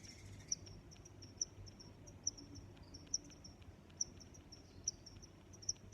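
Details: Cricket chirping: short, high-pitched chirps repeated at a steady pace, roughly one every 0.9 seconds, over a low background hum.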